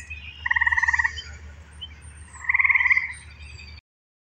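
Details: Eastern gray treefrog (Hyla versicolor) in Pennsylvania gives its advertisement call, two short, musical pulsed trills about two seconds apart; calls in spring and early summer at dusk or on rainy days.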